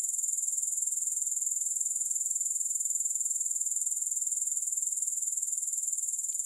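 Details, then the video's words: Soothing grasshopper chorus with no music added, an unbroken high-pitched trill that pulses steadily about four times per second throughout. "Grass Hopper Sounds"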